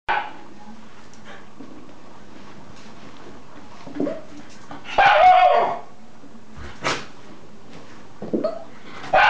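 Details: Shiba Inu dog indoors on 5 August 2012, in conflict with a young girl, giving a few sharp, separated barks and yips spaced a second or more apart, one longer harsher burst in the middle, amid quiet room noise.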